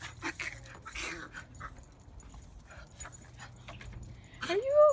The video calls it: Dog makes duck noises